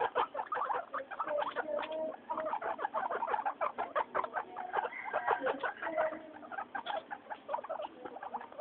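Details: Three happy guinea pigs, Mayumi, Archie and Miyuki, chattering noisily on the floor: loud, dense volleys of clipped squeaks and clicks run without pause, punctuated by occasional short whistled notes.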